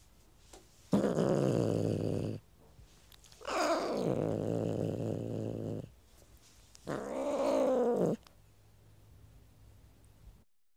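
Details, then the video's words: Cat growling: three long, low, rough rumbling growls lasting one to two and a half seconds each, with a buzzy harmonic tone that wavers slightly, separated by short quiet pauses. "CAT GROWLING SOUND EFFECT"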